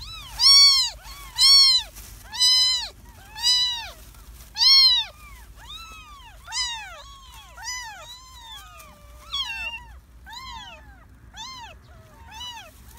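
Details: Stray kittens born in a garden mew loudly in a run of five strong arched cries about one per second, then softer, quicker overlapping mews from more than one kitten.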